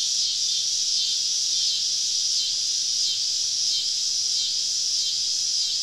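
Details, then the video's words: Many cicadas singing around a woodland camp on a southern summer evening; loud, steady high buzzing with slight rhythmic swells roughly every second. "Southern Evening Summer Cicada Symphony"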